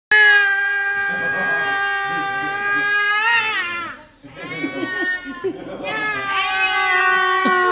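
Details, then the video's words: Angry cat giving long, loud, sustained wailing yowls with steady pitch that bend and waver near the ends, a brief break, then another drawn-out yowl. "SUARA ASLI KUCING MARAH"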